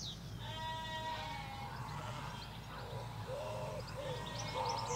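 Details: Sheep in a Hampshire field, ewes with lambs: a long wavering bleat followed by shorter overlapping calls, with birds chirping in the background and a steady low road hum.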